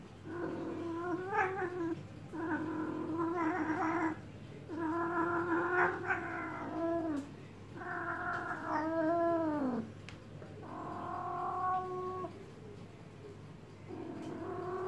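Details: Cat in heat yowling while being massaged, a run of rich, wavering wails, several bending down in pitch at their ends, separated by brief pauses, with a steady low hum behind.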